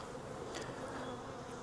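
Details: Wild honey bee swarm hanging from a tree branch, being collected into a five-frame nuc box: a dense, steady, low droning hum from many bees, unbroken throughout, with a brief faint high tick near the middle.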